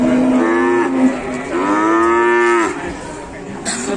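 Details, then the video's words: Raging cow in Indonesia bellowing two loud moos, a short one then a longer drawn-out one that rises slightly before cutting off, followed by quieter scuffling and voices. "SAPI NGAMUK"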